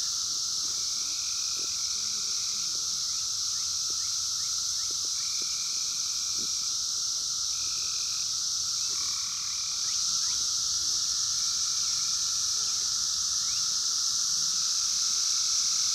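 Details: Brood X periodical cicadas of the 17-year cycle, 2021, wild, phone recording: a continuous intense high-pitched droning chorus, a level lower hum, and repeated short steady tones popping in every second or two.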